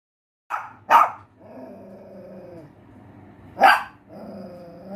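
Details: Pinscher dog giving two sharp barks close together, a third bark about three seconds later, and low growling between them.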